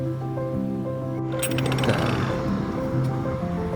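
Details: Music with steady low tones, a clinking metallic crash midway and scattered knocks, with no animal voice heard.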